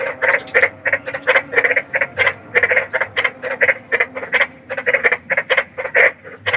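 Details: Night chorus of a large frog meant to lull restless children to sleep: evenly spaced, coarse croaks about three a second, each a short buzzy burst, with a quiet hum in the background.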